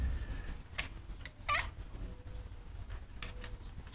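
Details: Messy, a pet cat, goes wild after spotting a bird outside and makes odd dolphin-like noises: brief sharp chirps, one strong rising-falling squeak near the middle, and fainter short chirps around it over steady low background hum.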